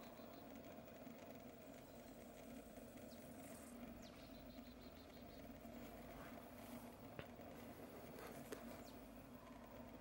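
Western honey bees make a steady, low droning hum, like many wings beating together.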